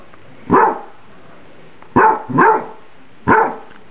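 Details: Emily, a pet dog, barks because her microwaved spaghetti is too hot: four short, clipped woofs, a lone bark followed by a close double and then one more, with quiet gaps between them.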